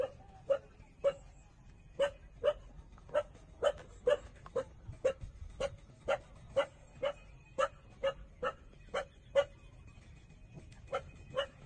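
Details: While 27-day-old puppies nurse from their mother, brief yelping squeaks repeat steadily, roughly twice per second, about twenty sharp, evenly loud notes against quiet background hiss.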